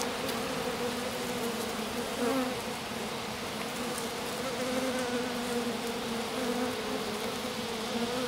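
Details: Small honey bee swarm settled in grass around a queen, a handful of workers staying with her while the rest return to the hive; steady droning hum with two bands, unbroken through the clip, faint clicks above.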